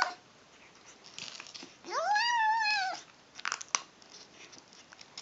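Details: Female kitten vocalizing while eating: one clear, long arched meow rising then gently falling in pitch over about a second, framed by soft crunching and clicking chewing sounds before and after.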